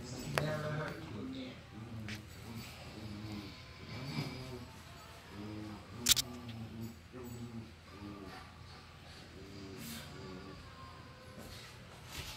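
Two Miniature Schnauzers grumble at each other in a play fight, their growls coming as throaty, rolling pulses repeated every second or so. A brief sharp click cuts through midway.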